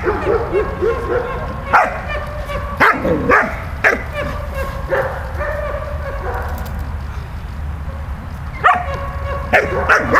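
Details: Playing with Bulat, the dog Malta lets out sharp, ringing barks in spaced bursts, separated by stretches of thin whining, all over a steady low hum.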